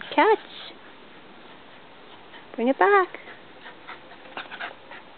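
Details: Welsh Terriers Lexi and Shelby playing a game of fetch with a ball: short, high, arching yips with rich overtones, one near the start and a quick double yip around three seconds, with soft clicking and shuffling between.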